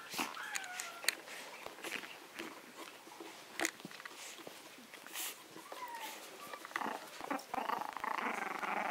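A small Maltese dog gives sharp, high-pitched barks and yaps in quick, irregular bursts.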